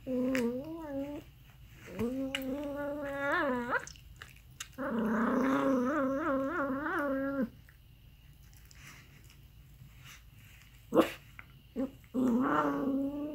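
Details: Aardvark producing strange vocalisations: a series of drawn-out, quavering whines with rising and falling pitch, several in a row, separated by quiet gaps and an occasional sharp knock, with low background hum.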